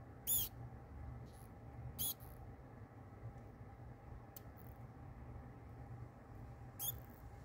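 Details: Newborn pinky mouse grabbed by the face by a kingsnake during live feeding: four brief, thin, high squeaks about two seconds apart, faint over a steady low hum.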